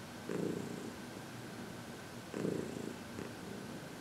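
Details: Happy senior cat Heidi, aged 14 and adopted from the Humane Society of New York City, purring under massage and reiki in February 2021; soft continuous rumble punctuated by two louder surges roughly two seconds apart.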